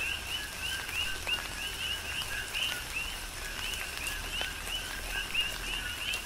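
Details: Big Island, Hawaii, during a tropical rain shower: many coqui frogs give rhythmic two-part calls, a short low note followed by a rising higher whistle, repeated steadily over scattered raindrop taps.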